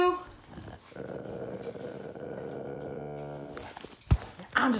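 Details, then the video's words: A grumpy beagle guarding its dead squirrel gives a low, steady, rumbling growl held for about two and a half seconds, then goes quiet; a sharp knock and a person's voice follow at the end. "Grumpy beagle guarding his unalived squirrel"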